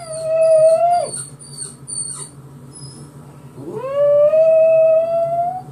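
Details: Dog howling like a mini-wolf in response to a recording of his own crying: two long, loud, steady howls, each swooping up and held level, separated by a gap filled with faint high squeaky whines.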